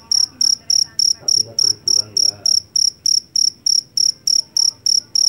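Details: Loud field cricket, the jangkrik Jawa caught in a rice field: bright metallic chirps at a brisk regular pace of about three and a half per second, with faint background rumble.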